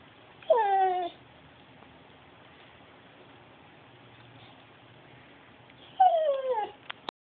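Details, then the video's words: Talking dog making two short, tonal calls about five seconds apart, each sliding downward in pitch, with quiet in between and a brief click at the end. "Talking dog."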